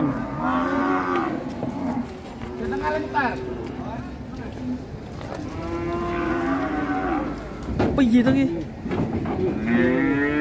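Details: Rampaging sacrificial cattle being unloaded from a truck at Siyono Harjo market. Several rough, wavering moos overlap one another, some rising at the end, amid people talking and handling noise.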